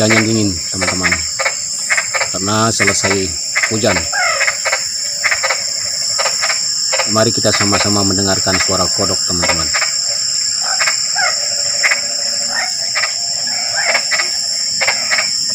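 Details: At night, a frog "chatters" in bursts of rapid, throaty croaks against a constant high-pitched insect drone.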